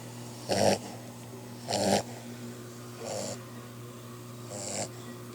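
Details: Sleeping puppy snoring: four raspy, breathy snores about every one and a quarter seconds, the first two louder and the last two softer, over a steady low hum.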